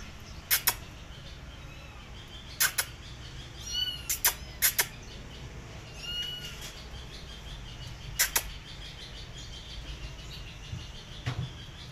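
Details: Mother cat calling her kittens back to her as they come running, two brief harmonic chirp-like calls a couple of seconds apart, with sharp clicking taps scattered through the quiet background.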